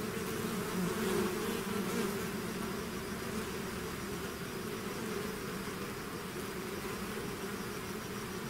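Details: Natural buzzing of a bee swarm out of its hive: a thick, constant drone, louder in the first two seconds as bees pass near, then settling into an even hum.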